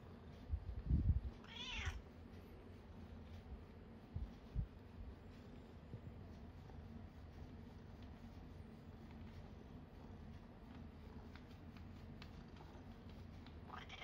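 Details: Nana, a 14-year-old red tabby cat, reviewing a cat massage product, gives one short harmonic meow that slides downward, after a few soft thumps; then near quiet with light rustling and another faint cry at the end.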